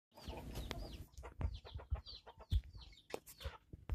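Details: Gamecock recorded on 22 January 2022: a rapid run of short, low, clipped clucks and thumps, with thin downward-slurred chirps from small birds above it.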